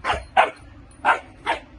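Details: Dutch Shepherd puppy at the start of training work in France; four short, sharp barks in under two seconds, in two pairs, with faint quiet background between them.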